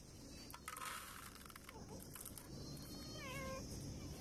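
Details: Street-living stray cat, one of a mother and kitten struggling to survive, gives a single wavering, drawn-out meow near the end, after soft rustling and handling noises against a constant low hum.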